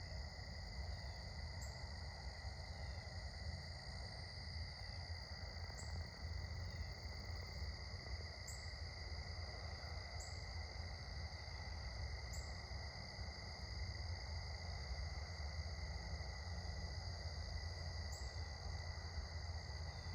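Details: Evening crickets at sunset keep up a continuous, even-pitched high trill with no pauses, accompanied by faint short ticks and a heavy low-pitched background rumble.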